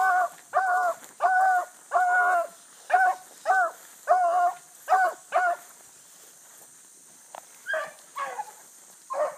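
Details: Bluetick Coonhounds running a rabbit early in the morning on 22 July 2012: a series of loud harmonic bawling barks about every half second, then fainter, more scattered bays, with a steady high hiss of insects behind.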